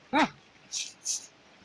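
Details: Pet Alaskan Malamute giving a single short, high yelp with a bright harmonic ring, followed by two soft hissing noises and a quiet background.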